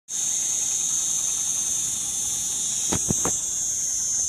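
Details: A cicada in Mellieħa gives a steady, high, hissing buzz that never lets up, with a few brief knocks near the end.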